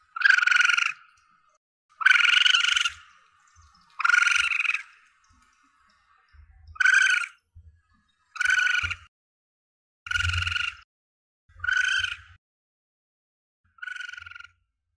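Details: Asian palm civet young, a hunter's lure sound: eight nasal, harmonic wailing squeals, each under a second and spaced about every one and a half to two seconds, with soft low thumps beneath several of them.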